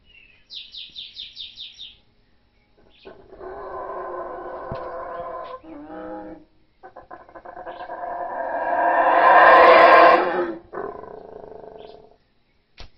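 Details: A howler monkey howling in the rainforest: a deep, guttural roar swells to a loud peak, preceded by quick high bird chirps.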